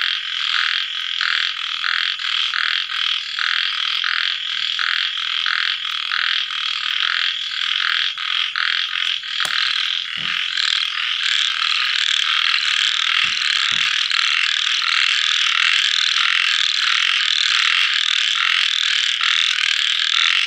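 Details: Little frogs calling after rain at nightfall: distinct rasping pulses about every two thirds of a second at first, a few sharp clicks midway, then merging into a dense, continuous buzzing chorus.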